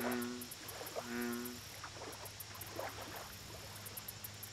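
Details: Two deep, resonant croaks about a second apart from an American bullfrog at a lake. Fainter clicking calls from other frogs follow, over a constant high-pitched insect drone.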